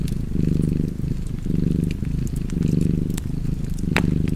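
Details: Domestic cat purring steadily beside a fireplace: a low, rumbling, vibrating drone that swells and fades about four times with each breath, with sharp crackles and pops from the fire scattered throughout.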